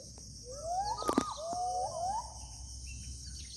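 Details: Gibbon in the deep forest of inland Kalimantan: a few sliding whistled notes rising in pitch, overlapping over about two seconds, with a sharp knock and a steady insect hum behind.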